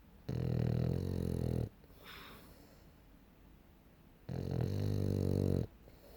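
A French Bulldog snores in long, deep, rattling breaths with a quiet pause between them.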